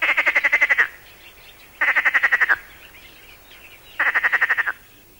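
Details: Perez's frog, a species found only on the Mediterranean coast, giving three bursts of short rasping pulses like a throat rattle, about ten rapid pulses per burst, each burst under a second and spaced roughly two seconds apart, over a quiet background.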